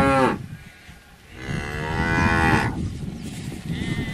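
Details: Cattle lowing: a short moo at the start, then a long, loud, strongly harmonic moo lasting over a second, followed by quieter rumbling and a faint higher tone at the end.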